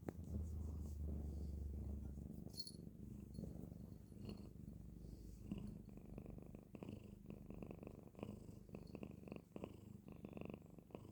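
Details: Domestic cat asleep and snoring, a low, rough, fluttering rumble that pulses quickly and unevenly, louder during the first two seconds and then softer, with small rustles over it.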